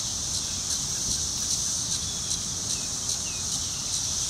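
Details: Periodical cicada; mating call; attracting a mate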